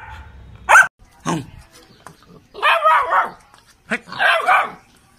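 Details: Labrador Retriever puppy giving a few separate barks, including two short sharp ones and longer, rougher bursts, with quiet gaps between them.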